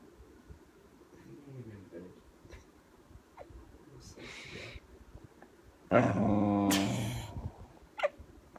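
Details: Tired female kelpie indoors, cranky and wanting bed, gives low wavering grumbles, then a loud, rising-and-falling Chewbacca-like moan lasting about a second, followed by a brief sharp note; faint voice in the background.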